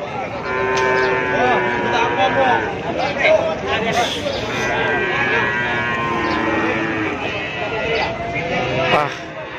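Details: Cattle being unloaded from trucks at the crowded Keppo cattle market, packed with cows. Several long, droning moos rise over steady crowd chatter and engine noise, with a loud moo near the start and more toward the end.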